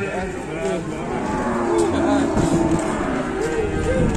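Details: Raging cattle on an Indonesian farm give hoarse, broken moos in short overlapping bursts, with men talking in Javanese and constant background noise.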